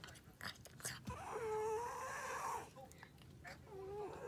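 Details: A Siamese cat gives two drawn-out, slightly wavering meows, with soft clicks and lapping sounds around them, apparently the cat drinking water in an unusual way.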